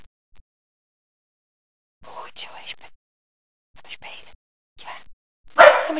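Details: Dog named Aspen with her pups at play in February 2016: after two seconds of quiet, three short, harsh, noisy bursts a second or so apart, then one loud sharp bark at the very end, with Dutch speech nearby.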